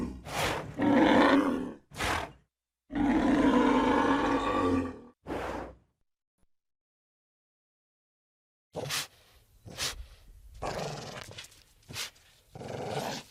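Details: Bull calling with rough, growling bellows and short snorts at first, then a silent pause, then quieter clipped grunts and breathy huffs.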